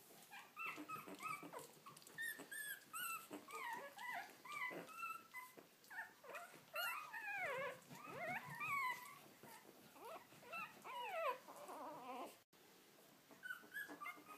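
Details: Three-week-old Lhasa Apso puppies, eyes newly open, give a chorus of high, wavering whines and squeaks.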